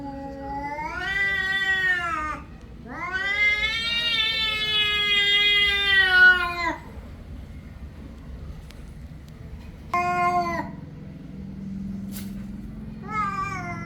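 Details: Cat meowing in drawn-out, harmonic calls: a short meow, then a long three-second wail, a quiet gap with faint clicks, and two brief meows near the end over a low hum.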